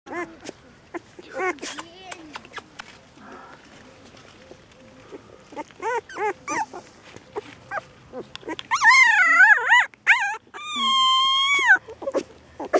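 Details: Puppies whining: a quick run of short, high whimpers, then two longer, wavering, drawn-out whines near the end.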